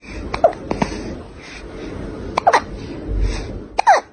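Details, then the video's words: Pet cat hiccuping indoors: three short, sharp hiccups, each a brief click with a faint squeaky tone, spaced unevenly about one to two seconds apart over a low, quiet room hum. "lovely cat HICCUPS"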